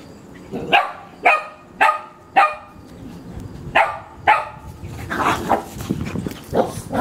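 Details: Bobby and Mimi, two cousin dogs aged one and a half, playing rough in their backyard; a run of sharp barks roughly every half second, then a burst of scuffling, growly noise and overlapping yelps near the end.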